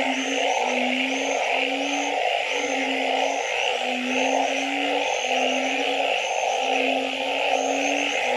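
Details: Frogs calling at night: low, steady hooting notes repeat roughly every two-thirds of a second, layered over a continuous buzzing hum in the middle range and faint, high, repeated chirps.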